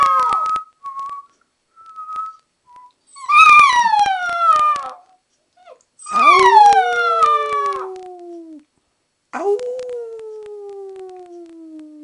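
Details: Two-month-old Alaskan Malamute puppy howling during play at home: after a few thin high notes come three loud, harmonic howls, each starting high and sliding downward, the last fading out slowly.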